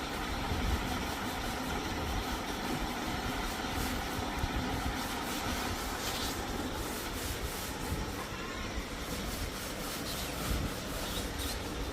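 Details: Only a steady, low vehicle engine rumble with faint scraping, and no animal sound heard.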